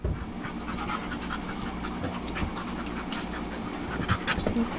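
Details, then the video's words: Several tired dogs, including Tetra the Husky and Myla the Red Lab with guests Cole, Gypsy and Gracie, pant heavily and quickly after playing; an even, rasping breath texture with a brief whine near the end. "Tetra the Husky and Myla the Red Lab playing"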